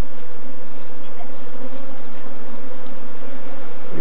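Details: Swarming Apis mellifera scutellata, the African honey bee, in Kenya, crawling over a person during capture. A thick, unbroken humming drone fills the whole stretch, even and low, with no other clear sounds.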